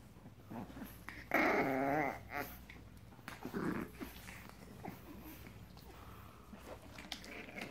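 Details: Frenchton puppies, 87.5% French Bulldog and 12.5% Boston Terrier, aged seven weeks, indoors: a loud wavering, harmonic whine-growl lasting under a second, then a shorter low growl, with faint rustling between in a small room.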